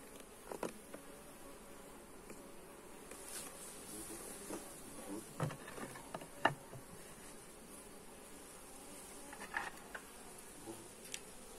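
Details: Honey bees buzzing during a hive inspection, recorded on a Xiaomi Redmi Note 8 phone: a faint, steady low hum of many bees under background hiss, broken by scattered clicks and knocks from handling the hive.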